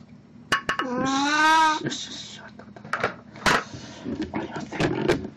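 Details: Plan, a pet cat dressed in a Snow White costume, recorded indoors on 1 April 2017, gives one drawn-out meow lasting most of a second, steady and harmonic-rich, followed by clattering dishes and human speech in a small room.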